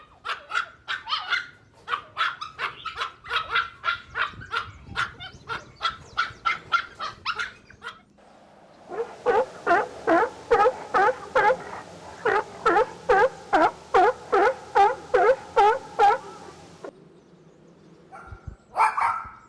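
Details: Puppies and their mother dog playing a toy battle outdoors: a long run of rapid barks, about two per second, then a short pause and a second steadier series of lower, fuller barks, with a final high yelp.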